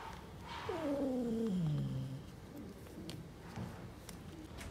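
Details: Street-living mother cat guarding her kittens, angry at anyone approaching: one loud meow that starts high and glides down into a low, drawn-out moan lasting about a second and a half, followed by quieter background noise.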